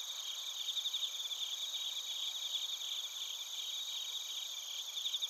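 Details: Bell crickets and field crickets chirping in Narita, Chiba Prefecture, Japan, recorded on a TASCAM Portacapture X8. High, shimmering pulsed trills overlap in stacked layers above a steady ringing drone, with no other sounds.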